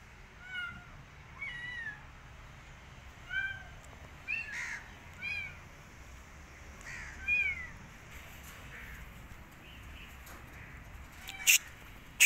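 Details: Kitten rescued from the street, wanting to go back outside and refusing food, gives short high meows with rising-falling harmonics, roughly a dozen spread across the stretch, with a few sharp clicks near the end.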